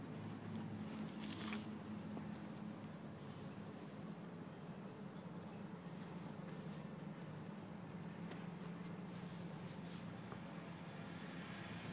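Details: Faint, steady background hiss with soft pattering and a low hum, and no animal voice anywhere.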